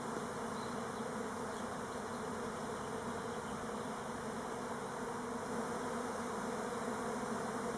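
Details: Orientation-flying Buckfast honey bees (Elgon strain) on Timrarö island near Stockholm; the air is filled with an even, deep, buzzing hum of countless wings that never pauses.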